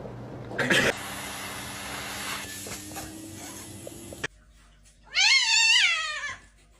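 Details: A white domestic cat indoors gives one loud, drawn-out meow that rises, holds and then falls over about a second, after a stretch of low room noise and brief voices.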